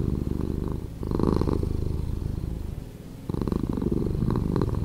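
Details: A cat's purr played at reduced speed, low and throbbing, loud at the start, easing into a softer dip midway, then building back to a strong rumble.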